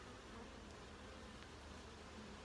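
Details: Massed honey bees humming inside an opened hive under inspection, a brief unbroken low buzz with an even loudness and no other clear sounds.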